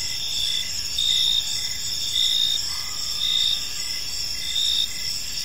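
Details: Crickets in a quiet park at evening give rhythmic high chirps, bursts recurring about once a second over a steady ringing chorus, with light low background rumble.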